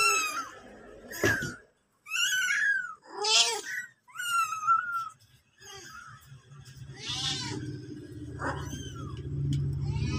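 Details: Mother cat with her kitten, several high arching meows and squeaky cries in the first half, followed by a quieter stretch with a low steady hum and a faint voice underneath.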